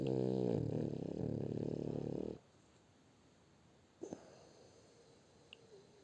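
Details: Sleeping French Bulldog Shturm gives a deep, buzzing, fluttering snore for over two seconds, then quiet breathing broken by a couple of small knocks and a faint squeak.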